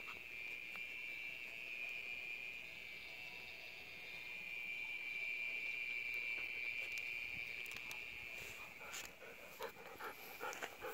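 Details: Mole cricket calling late at night from inside a sewer pipe beside a road, near home gardens in Japan, likely courtship; a steady, unbroken high buzzing trill drones throughout, with faint clicks and rustling near the end.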